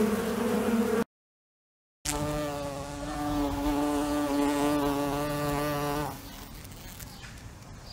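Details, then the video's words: Buzzing fly with a low drone that breaks off briefly into silence. It resumes slightly higher and richer in overtones, holds for about four seconds, then stops abruptly, leaving faint hiss. "Звук мухи. Жужжание мухи."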